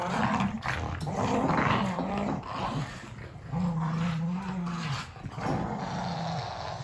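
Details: Two dogs, a Boston Terrier and a fluffy Keeshond, battle over a carrot, giving continuous low, gravelly growls that rise and fall. Some stretches are smoother and more droning, with short scuffling breaks between.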